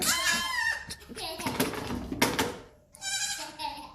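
Young Nigerian Dwarf goat kids bleat in high, wavering, tremulous cries, with a person talking in between.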